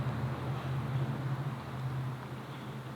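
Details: Steady low mechanical hum with a soft wind-like rush and no animal voices.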